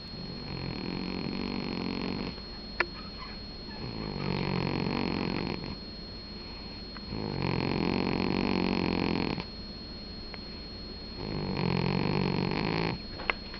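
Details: Sleeping domestic cat snoring indoors: rasping, breathy snores come in four long swells about every three seconds, each with a low rumbling core and a hissing upper edge, over a steady faint high-pitched electronic whine.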